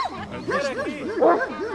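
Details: Komondor at a herding instinct test gives four or five fast, throaty barks in under two seconds while a person calls out.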